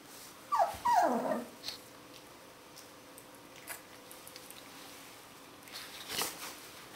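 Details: Alaskan Malamute puppies, 18 to 25 days old: a single high whine slides steeply downward in under a second, followed by faint rustles and soft clicks in a quiet room.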